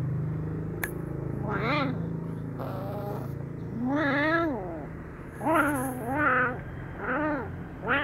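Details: Brown kitten, happy yet wary while being given fish sausage, meows about six times. The calls are clear, arched and rising-falling, coming in quicker succession toward the end over a low background hum.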